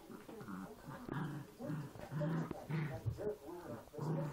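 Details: Poochon puppies play fighting, giving rough low growls in short overlapping bursts, several a second, with snorts and yips mixed in.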